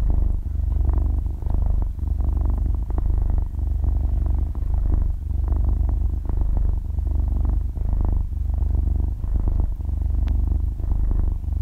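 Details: Half-year-old kitten purring while asleep, recorded binaurally at very close range: a steady deep rumble swelling and easing with each breath, about 39 breaths a minute, no talking or music.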